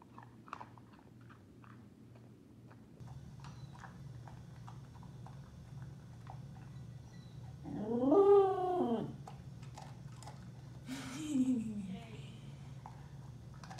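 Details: A female Pembroke Welsh Corgi in Phoenix, Arizona gives a drawn-out, arching "awoo" howl while eating, then a shorter second one; she has howled over her food since about 4 months old.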